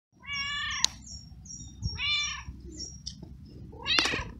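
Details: Stray, feral cat, scared, cold, wet and hungry, following someone in the rain: loud harmonic meows, a long one near the start and another about two seconds later, then a rising cry at the end, over a low rumbling background.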